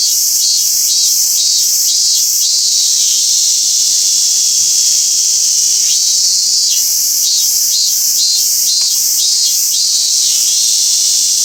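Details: Robust cicada singing at Toyanogata Park, Niigata, Japan: loud high buzzing with bursts of pulsed phrases repeated about every half second, pausing mid-clip then resuming, steady insect drone throughout.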